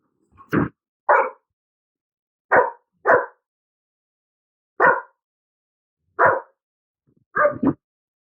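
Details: Bruno, an untrained pet dog, protesting indoors against a vacuum cleaner: seven sharp, broadband barks, several in quick pairs, separated by short silent gaps, with no other clear sounds.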